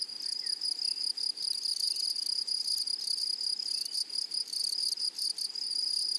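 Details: Grasshoppers in a flowery meadow produce an intense, high buzzing chorus, broken into irregular rapid pulses and short gaps, with a sharper upper hiss flaring in bursts.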